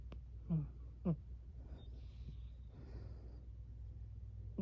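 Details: A sleeping female Burmese cat gives brief, soft, squeaky murmurs over a low, steady hum.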